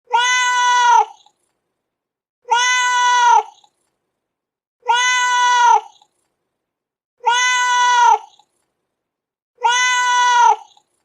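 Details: Domestic cat meows meant to attract cats and get a reaction: five identical drawn-out, harmonically rich meows, each about one second long, repeated roughly every two and a half seconds with silence between, the same call apparently looped.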